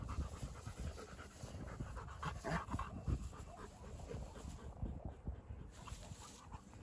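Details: Two Dogo Argentino dogs playing outdoors, breathing in quick, rough, breathy bursts of low rustling puffs that come fast and uneven over several seconds, with some scuffing noise mixed in.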